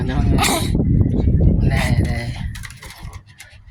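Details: Pomeranians squabbling over a toy: dense low growling fills the first seconds, punctuated by brief sharp yaps, then fading to quieter grumbles.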